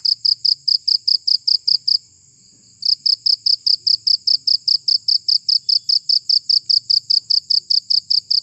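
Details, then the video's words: High, rapid chirping of a cricket used to scare off rats, pulses ticking evenly with one brief gap of silence after two seconds, then continuing in the same steady rhythm. "Suara Jangkrik Pengusir Tikus"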